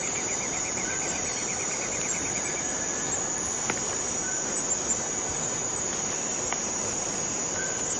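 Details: Forest cicadas fill the air with a steady, high, hissing drone that never lets up.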